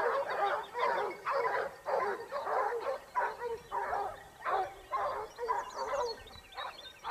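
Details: Basset Hounds of the Topsfield Lebrera pack hunting in Spain during the 2015-16 season, their second year, give a steady chorus of repeated baying barks, about two per second, overlapping voices from several hounds.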